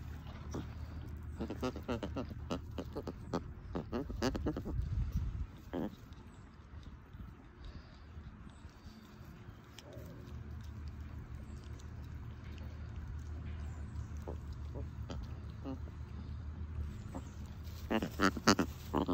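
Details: Chihuahuas making happy, content snorty sounds while relaxing in the shade on an afternoon; quick clusters of short, breathy snorts come early on and again near the end, over a steady low rumble.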